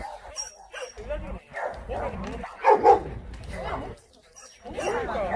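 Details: Dogs at an abandoned-animal shelter in Yangsan, South Korea, during volunteer work: short, sharp barks in separated bursts, some overlapping, with human voices talking in between.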